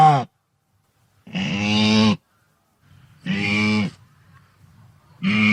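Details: Wildebeest herd vocalization: loud, nasal, richly harmonic grunting calls about one second long, repeated roughly every two seconds, separated by quiet gaps with a faint low rumble.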